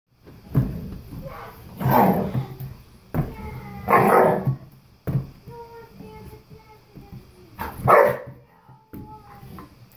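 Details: A 3.5-month-old German Shepherd puppy pesters a 4-year-old English Cream Golden Retriever indoors: loud, rough barks burst out about every two seconds, with thin whining tones between them and a person's voice nearby.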